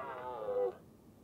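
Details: Brief red deer call during the rutting season, where a hind cares for her large calf while a stag drives them uphill: a short, tonal, nasal bleat under a second long, ending abruptly, with quiet low rumble behind.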